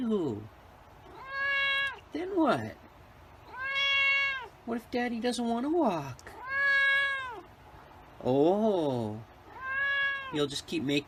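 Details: White cat meowing repeatedly, roughly every two seconds: clear arched meows about a second long, alternating with meows that slide sharply downward and short quavering cries, with brief gaps of room quiet between.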